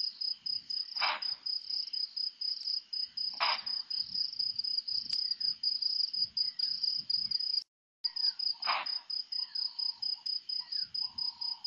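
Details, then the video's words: Pre-dawn bushbuck alarm at Nkorho, about 4–4:30 a.m., 3-11: three gruff, explosive barks spaced several seconds apart, over a continuous shrill cricket chorus pulsing rapidly, with a short dropout near the end. "bushbuck alarm call"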